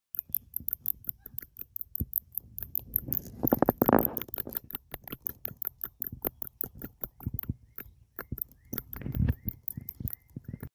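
A big brown bat gives rapid, dry clicks and brief chirps in an irregular patter.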